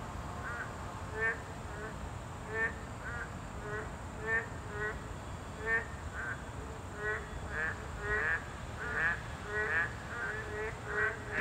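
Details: Several boreal digging frogs at a habitat of this class 2 protected species, calling in an overlapping chorus of short nasal, harmonic croaks, uneven and many per second, over constant hiss.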